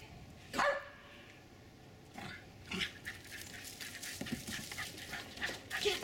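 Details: Two Jack Russell Terrier puppies, about four and a half months old, playing and chasing each other in a back yard in Lenexa, Kansas, on January 16, 2012; one sharp yip early on, then scattered scuffling and rustling.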